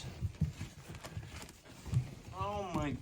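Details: Two-week-old puppies, very active and moving around: a thin, high whimpering cry rises and wavers near the end, after soft human talk and low rustling.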